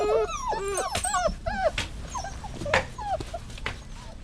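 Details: Dog whining: a burst of high, wavering whimpers bending up and down at the start, then scattered shorter whines and soft yips over a low rumbling background.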